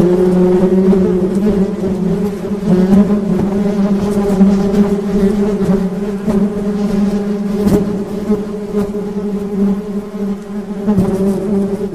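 Honey bees buzz in a steady, low drone with a rich, layered hum.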